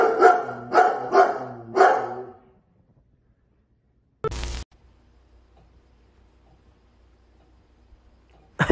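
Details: Pet German Shepherd dog barking four times in quick succession over about two seconds, then silence broken by a short clatter and a final sharp noise.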